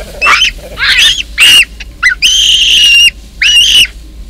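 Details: Baboons in Kruger National Park during a clash between a huge male defending his troop and an intruder. Loud, shrill tonal screams, several short and one long sustained, in rapid succession.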